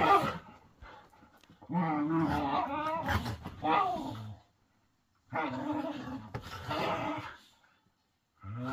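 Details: Whippets mid play fight make deep, roaring snarls in two long bouts of about three seconds each, separated by silence, with a final snarl starting at the end.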